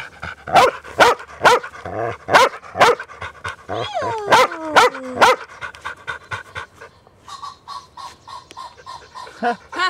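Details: New Zealand Huntaways, a family's own dogs, on a Sunday walk: a run of sharp repeated barks mixed with high falling whines or whistles, then quieter panting and scattered yips.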